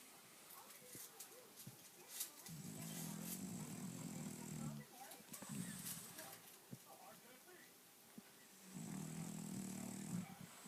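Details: Sleeping French bulldog snoring: three long, rough, low buzzing snores lasting one to two and a half seconds each, separated by quieter breathing pauses, with faint clicks and background hiss.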